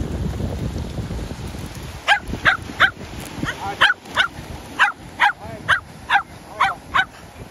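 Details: Shetland Sheepdogs playing ball by the sea; after two seconds of wind and surf rumble, a run of sharp, bright barks repeats roughly every half second, about a dozen in all, over steady low wind noise.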